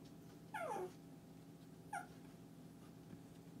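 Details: Shih Tzu indoors "talking": two short whiny vocalizations, the first longer and falling in pitch, the second brief and also falling, about a second and a half apart, over a steady low room hum.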